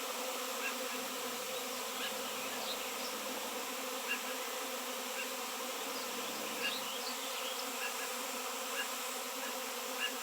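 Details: Swarm of honey bees gathered around a raw seven-pound piece of shungite, in an area where honey bees had not been seen for years; a dense, steady, layered buzzing drone holds throughout, with faint brief higher tones flickering above it.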